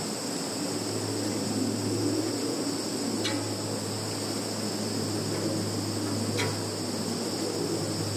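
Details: Field insects in Kaluga region, Russia, on 11 September 2019, phone recording: a continuous high-pitched buzzing drone over a louder low rumble and hum, with two brief ticks.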